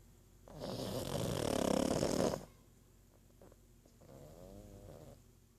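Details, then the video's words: Pug named Archie snoring indoors: a loud, rasping, broadband inhaled snore lasting nearly two seconds, a quiet pause, then a softer, fluttering second snore with wavering tones. "Мопс Арчи даёт храпака"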